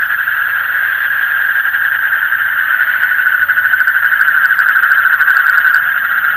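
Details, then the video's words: Night chorus of frogs: a persistent shrill trilling drone, many callers overlapping, with the pulsing becoming more distinctly throbbing in the second half. "Call of the frog in the deep night"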